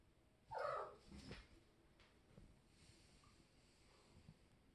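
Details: Kitten playing in the shower gives one short meow near the start, then only a faint hiss and soft background noise for the rest.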